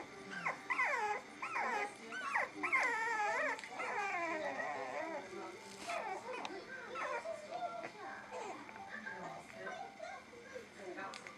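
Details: Bulldog giving a run of whining, yodelling vocalisations with bending, wavering pitch, overlapping human speech throughout.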